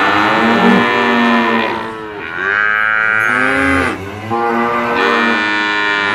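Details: Brahman bulls mooing, long resonant calls with stacked harmonics that bend upward then fall, three main bellows separated by short dips in loudness, other cattle audible underneath.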